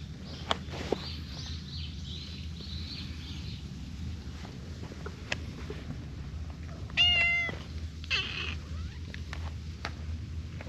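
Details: A Siamese cat, one of a friendly pair with an orange tabby, comes to rub its face and seek affection. A single clear, tonal, slightly wavering meow lasts about half a second, followed by a soft rustle, over steady low background hum.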